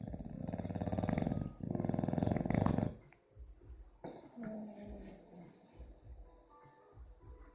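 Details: Sleeping bulldog snoring in an unusual way, compared to a motorbike with a broken exhaust: loud rattling, rapidly pulsed low snores in two bursts for about three seconds, then quieter uneven breathing and faint tones.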